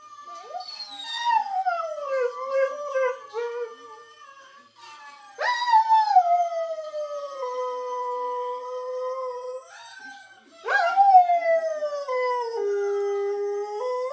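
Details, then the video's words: Lurcher dog singing: long tonal howls sliding down from a high start, three phrases with wavering, bending pitch and rich overtones, separated by brief pauses. "The Singing Lurcher"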